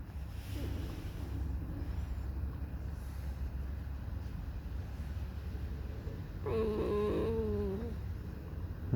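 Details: Alice, a fox kept as a pet, sings her plaintive whining song out of discontent. A steady low rumble comes first, then a creaky, wobbling whine of over a second, stepping slightly in pitch, near the end.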